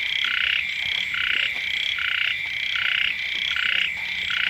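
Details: Frogs calling beside a house at the start of the rainy season: a dense chorus of buzzy, pulsed bursts that rise and fall about every three-quarters of a second over a steady high ringing drone.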